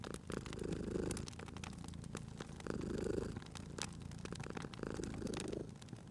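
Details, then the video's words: Cat asleep by a crackling fire, purring steadily: deep buzzing rumble rising in three clear breath swells about two seconds apart, overlaid by scattered crisp crackles from the fireplace. "Cute Purring Cat at a Crackling Fireplace"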